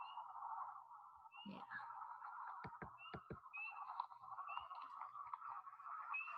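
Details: A dense spring chorus of wood frogs (Lithobates sylvaticus) gives low, duck-like clucking, with the high-pitched peeps of spring peepers above, recorded in North Coventry Township, Chester County, Pennsylvania.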